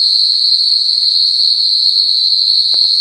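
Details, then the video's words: A continuous piercing high-pitched drone fills a rainforest night at the Singapore Night Safari. It is steady and unwavering, with a thin higher tone above it and a brief soft knock near the end. "Scary sounds of the rain forest"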